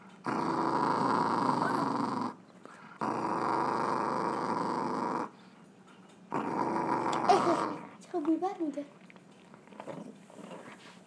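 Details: Indoor Chihuahua making a strange sound: three sustained gravelly growls of about two seconds each with gaps between, ending with a person's voice talking.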